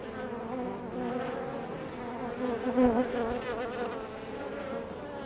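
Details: Honey bees buzzing at the hive entrance, a thick, even hum. A single bee sweeps close near the three-second mark, its whine rising and falling over the background drone.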